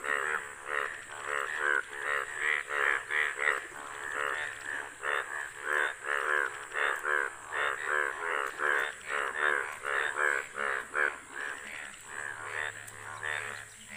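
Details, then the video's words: Hundreds of yellow Indian bullfrogs gathered in front of a house, out for mating; a dense chorus of harsh, nasal croaks pulsing in overlapping bursts, many callers at once, roughly one to two per second. "HUNDREDS OF YELLOW BULL FROG INFRONT OF OUR HOUSE😲😲//OUT FOR MATING😯😯"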